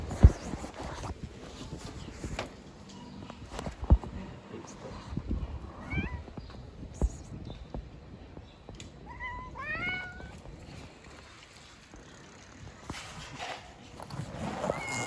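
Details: Hungry street cats fed outside; after quiet rustling and clicks, a cluster of clear bent meows arrives near the middle, a few overlapping, with background handling noise.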